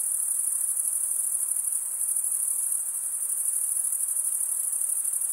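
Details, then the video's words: Crickets chirping by stridulation: a rapid high shimmer of fast pulses, roughly three per second, that forms a seamless shrill trill in otherwise quiet surroundings. "cricket sound"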